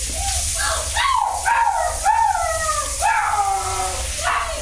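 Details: At a shelter, a mother dog with her puppies: a run of about five high, wavering whines rising and falling, spaced roughly a second apart. A steady watery rush fills the background.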